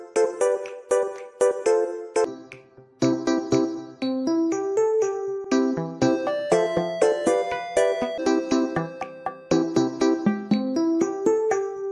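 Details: Light piano and electric keyboard music with a simple repeating melody fills the recording, and no animal sound can be heard.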